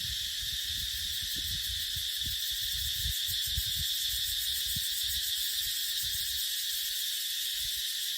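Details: Cicadas singing in a dry dipterocarp forest during the dry season: a dense, steady, high-pitched buzzing drone that never pauses, with soft low gusts of wind rumbling beneath it.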